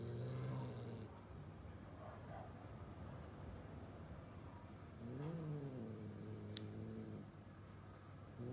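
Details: Two pet cats near a vase of flowers: a low, throaty drawn-out call opens, then rumbling, purr-like grumbling, and a second low moaning call that bends up and down, with one sharp click.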